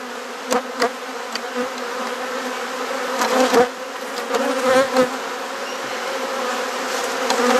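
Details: Steady, deep droning of honey bees as their hive is inspected and frames exchanged in a garden in Perth, Australia. Several sharp knocks near the start and a cluster of clunks in the middle sit over the constant hum.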